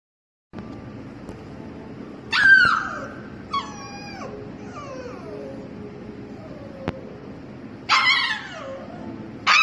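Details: Young husky puppy, the owner's dog, kept behind a gate at a dog daycare because she is too young to play with the big dogs; high harmonic whines that slide downward, in separate bursts with pauses, over low room hum.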